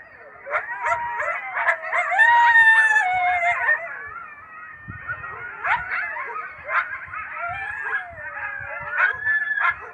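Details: Coyotes in a group chorus: overlapping wavering howls and rapid high yips, many voices at once sliding up and down, with sharp barks scattered through the tangle.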